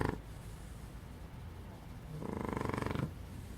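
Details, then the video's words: Fonso, a sleeping puppy, gives a soft, raspy snoring breath late in the clip after a quiet stretch of faint low breathing. "Divertido perro bebé roncando"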